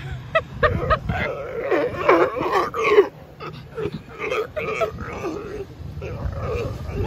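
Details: Sea lions in the Galápagos brawl, trading harsh, belching growls and grunts in a rough, overlapping squabble.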